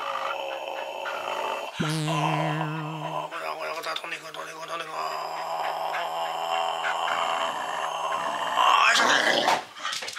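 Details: A Welsh Corgi, greatly excited during rough night-time play with its owner, growls and vocalises, with a person's voice mixed in.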